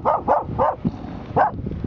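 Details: Bedlington Terrier barking at a harbor cleat in Kenosha, Wisconsin, in October: four short, sharp barks in quick succession, then a pause and one more bark, with a person urging the dog on.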